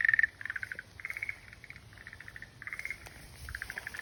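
A frog calls in quick rattling bursts of pulsed, croaking notes, one burst after another.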